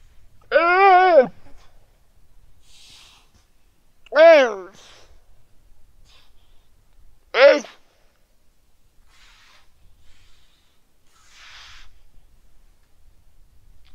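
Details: Weddell seal pup lying on the ice shelf in Terre Adélie, Antarctica, calling its mother on a quiet sunny afternoon, 15 November 2009 at 17:30. Three harmonic, voice-like bleats, the first longer and level, the next two arched and falling, well spaced.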